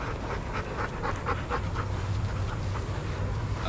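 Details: Adoptable shelter dogs playing and running together at daycare: quick breathy pulses, roughly four a second, like eager panting, over a steady low rumble of background noise.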